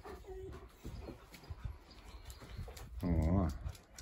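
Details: Four-month-old Central Asian Shepherd puppies, a male and a female, in Lviv, Ukraine, climbing onto a table while waiting for their owner to bring food. A thin steady whine opens, then a wavering low moaning vocal near the end, with talking around it.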